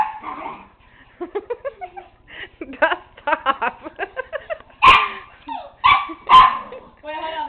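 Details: A one-year-old miniature pinscher named Tigger chases a flashlight spot indoors as the dog Nero looks on; a man's rapid commands fill the first seconds, then three loud, harsh barks about half a second to a second apart.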